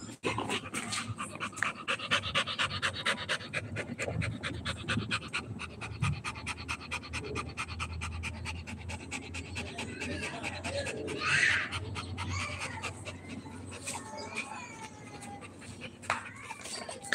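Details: Rottweiler puppy at play, rapid rhythmic panting running through the whole stretch, soft breathy pulses about two a second, with faint speech and household noise behind.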